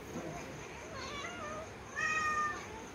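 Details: Pet cat meowing indoors in a short, clear harmonic meow near the end, with earlier faint meow-like sounds under a steady high hum and a person speaking Hindi coaxing nearby.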